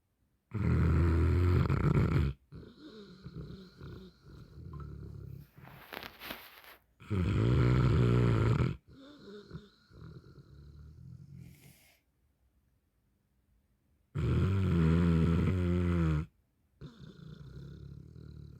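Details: Neapolitan Mastiff napping and snoring: deep, rumbling snores lasting about two seconds each, returning roughly every six to seven seconds, with softer snuffling breaths and quiet gaps in between.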